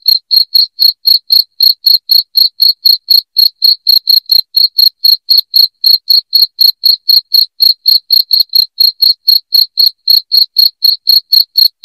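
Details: Nonstop shrill cricket chirping intended to drive rats from the house, sharp high notes repeated regularly around four per second with no background noise.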